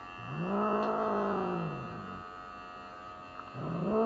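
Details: Unhappy Norwegian Forest Cat Elf during a routine trim at a vet checkup gives a long, low, rising-and-falling yowl lasting about two seconds, then begins another as a second cry climbs, all over a continuous electrical hum.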